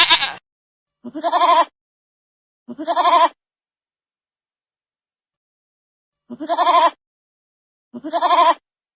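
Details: Young goats (kids) give high, wavering bleats, each about half a second long, repeated every second or two.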